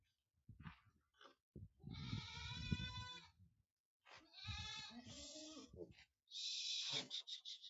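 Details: Goat kids on a farm in Aurangabad, Maharashtra, India, producing three harsh, strongly wavering bleats in quick succession, the last one hoarse and breathy, over low thumping and rustling.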